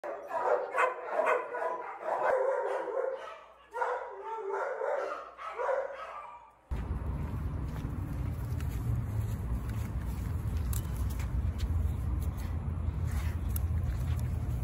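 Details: Australian Shepherd up for adoption, recorded on 18 July 2024 at 8:32 PM, gives a run of short harmonic barks in quick bursts over the first half, then a steady broadband rushing noise takes over.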